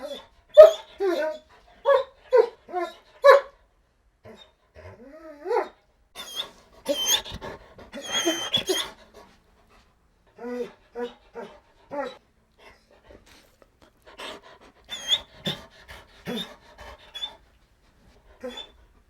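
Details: Begging dog whining steadily: many short, high, tonal whimpers in quick clusters, some wavering and bending in pitch, with breathy panting-like bursts and pauses between groups across nearly twenty seconds.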